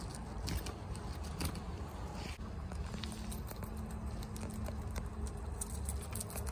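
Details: At home, Chia the female guinea pig eats bok choy at speed; dense, irregular crisp crunches and nibbling clicks run throughout above a low steady drone.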